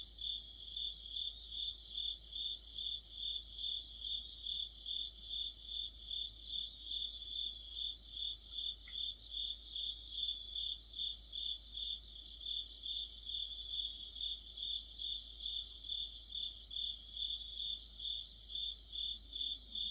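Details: Cricket chorus in deep autumn, with other insects singing near a streetlight: a steady band of rapid pulsed chirps repeating about twice a second, with a second insect adding bursts of higher trills every couple of seconds.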